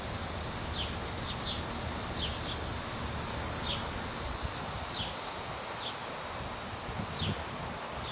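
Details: A dense chorus of cicadas emerging to molt and mate in hot July in Munster, Indiana, makes a steady, high, hissing drone with short downward slurs repeating through it.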